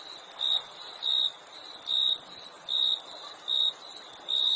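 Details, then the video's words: Crickets chirping: short, clear, high-pitched chirps repeated roughly once or twice a second over a constant, very high, hissing insect drone. "Crickets Chirping Sound"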